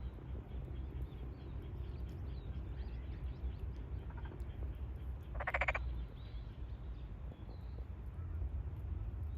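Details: Tokyo Daruma pond frog calling at a rice paddy in the satoyama countryside on 8 May 2022, soon after the field was flooded, during a big chorus; one short rattling, pulsed croak midway over a steady low rumble.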